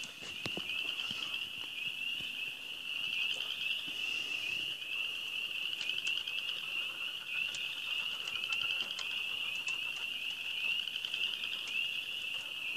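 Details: Ozarks frogs calling at the start of springtime, a crowded chorus forming a constant shrill band of rapid, upswept chirps that overlap without pause, with faint scattered ticks in the background.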